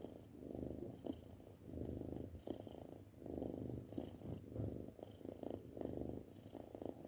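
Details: Soft purr of a six-month-old domestic cat, rising and falling in breathy waves about every second and a half.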